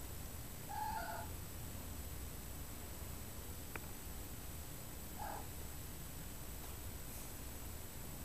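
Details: Domestic cat mother Kyra Mae nursing and grooming her kittens Prince and Tink indoors; a steady low rumbling purr runs throughout, with two short high kitten mews near the start and a third about five seconds in.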